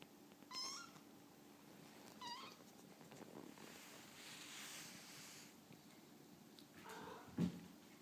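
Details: Two-week-old kitten, a toddling baby cat, gives faint, thin rising mews near the start, then a second soft mew; a quiet room with low background hiss and a single knock near the end.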